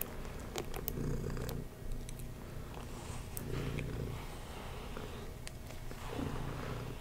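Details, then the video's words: Cat purring while being groomed with a brush, a low, pulsing rumble that fades briefly then resumes in waves, with scattered scratchy brushing sounds close by. "Kitty Tingles (Purring, Brushing)"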